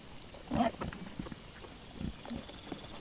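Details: Wild boar piglets caught by a trail camera on 27 September 2024, giving a couple of short, low grunts near the start, followed by softer scattered snuffles over a steady background hiss.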